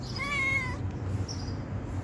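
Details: Stray cat begging for food gives a single clear meow of about three-quarters of a second, steady and slightly falling at the end, over a low background hum.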